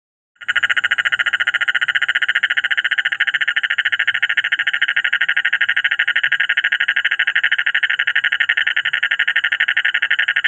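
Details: Several frogs sit calling together in a dense, steady chorus of rapid, pulsing croaks.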